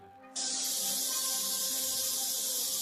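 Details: Many cicadas gathered in large numbers on a tree make a dense, unbroken, high hissing buzz. It begins abruptly and holds steady, with faint musical tones underneath.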